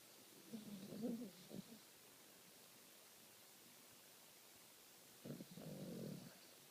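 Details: Sleeping dog snores twice, each a coarse, low, rumbling breath lasting about a second, the two roughly four seconds apart, in a quiet room.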